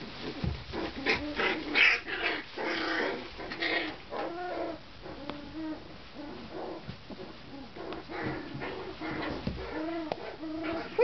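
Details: Tibetan Terrier puppies, one month old, in Poland, giving a rapid series of short, high, arching whimpers and yelps, many calls tumbling over each other in uneven rhythm.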